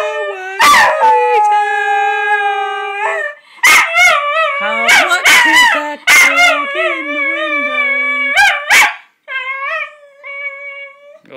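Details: A miniature schnauzer howls along in long, wavering tones while a person sings "How Much Is That Doggy in the Window".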